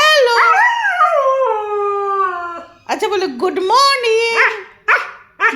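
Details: Husky 'talking' to its owner in greeting, a long wavering howl falling in pitch, then choppy yowling syllables broken by short pauses; a woman's voice coaxing 'hello' overlaps.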